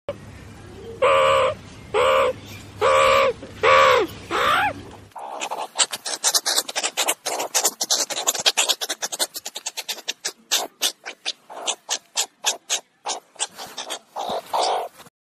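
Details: A meerkat (Suricata suricatta) gives a few drawn-out nasal calls, then a fast, uneven run of harsh chattering bursts.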